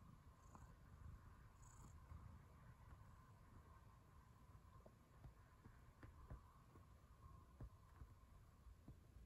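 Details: A cat purring while kneading; a steady low rumbling purr fills the recording, with faint soft clicks and a constant thin high hum in the background.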